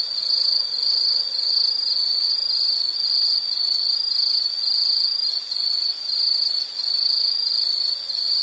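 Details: Shrill, continuous high insect trill at a fixed pitch, swelling and fading gently in loudness every second or two, with short dips in the second half.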